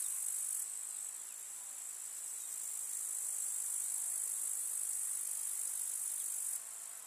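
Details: Grasshoppers in a rural summer meadow give a constant thin, high, rasping trill, steady and pulseless across the whole stretch, fading slightly near the end. No other clear sounds.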